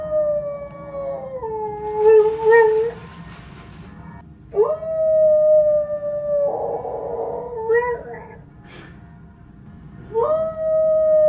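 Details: A female Siberian husky howls in response to a ringing church bell, long wavering howls that slide down and hold steady; she always does this when the bell rings.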